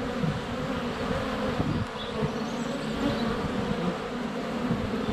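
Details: Sunny February scene at a honey bee hive entrance recorded with a GoPro: dense, even buzzing of many bees circling close to the camera, with faint high chirps from birds in the background.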